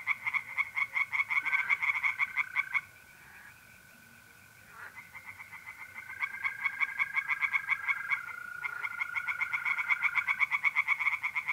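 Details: Tree frogs singing in a pond on a mid-April night in North-East Italy: fast, rattling pulsed croaks in bursts, a pause near the middle, then a dense chorus again, over the steady high trill of mole crickets.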